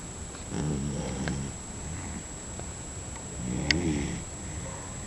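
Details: Sleeping dog giving two low, rasping snores a few seconds apart, soft and breathy between them, with a constant thin high-pitched tone in the background.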